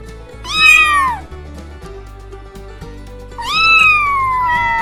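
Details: Two cat meows, the first short and arched, the second longer and slowly falling, set against soft background music with a steady bass.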